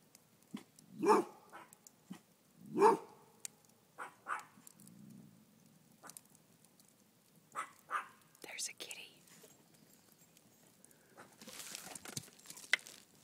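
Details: A Rhodesian Ridgeback named Jeta warns that something is amiss outdoors, a kitty nearby; two loud, resonant barks early on, then softer muffled woofs, with whispered human speech and rustling throughout.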